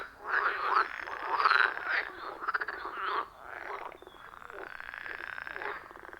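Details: A chorus of frogs at a wild forest pond, captured with an iPhone 14 Pro and Shure MV88+, gives dense, overlapping croaks and rattles for three seconds, then fades to a softer, steady background of calling.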